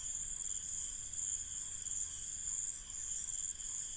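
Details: Crickets calling at night in an Indian village, a dense steady chorus of continuous high, shimmering trills layered in several unbroken bands, with no pauses and a faint low rural background hum.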